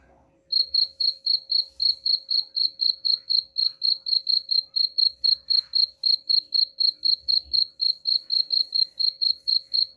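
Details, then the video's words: Cricket chirps used to scare off rats: after a quiet start, a loud, regular train of high, ringing pulses about four per second, with soft low rumbles underneath. "suara jangkrik pengusir tikus ampuh"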